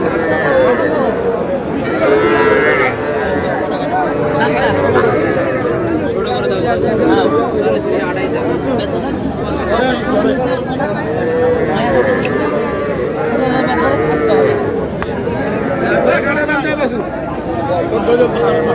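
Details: Market in Madaripur on 17 February where a farmer buys the smallest young bulls and heifer calves; many short moos from several animals recur throughout a long stretch, mixed into constant crowd chatter and shouted bargaining.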